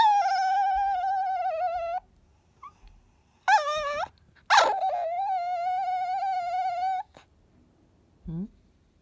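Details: Kohaku, a pet Chihuahua, pleading for the ball to be taken: two drawn-out nasal whines, each lasting about two seconds, broken by short rising yelps, and ending with a faint, brief squeak.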